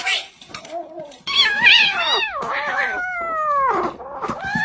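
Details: Domestic cat, one of several shown making funny noises around eating, gives a run of drawn-out meows: a short quiet one, then loud wavering cries that slide downward, and a long falling meow near the end, all indoors.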